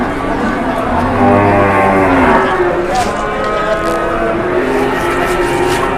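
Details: Indonesian cattle, with an angry cow charging during bargaining. A deep, level moo runs from one to two seconds, followed by fainter lowing, with voices and brief clatter in the background.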